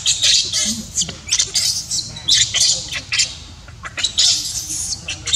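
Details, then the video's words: Baby monkey crying while its mother refuses to care for it: loud, harsh, high-pitched shrieks in quick bursts about every half second, with low background rumble throughout. "Poor baby monkey cries when Mom Monkey does not want to take care."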